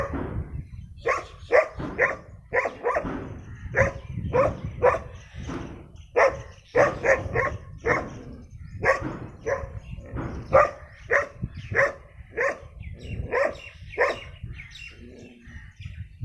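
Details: Brown dog, called very dangerous and a rare breed, barking rapidly and continuously for over fifteen seconds, sharp repeated woofs in quick bursts with brief pauses, steady low rumble underneath.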